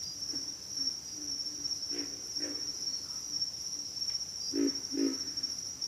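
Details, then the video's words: Pig frogs: a few faint grunts, then two louder ones, and a closing pair of strong, low, hoarse grunts, all over a continuous thin insect whine. "pig frogs - sound effect"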